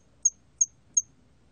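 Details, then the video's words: ['Three sharp, high chirps from a hairy cricket, evenly spaced about a third of a second apart, with nothing else audible.'] "털귀뚜라미, 여러번 듣기, 곤충소리"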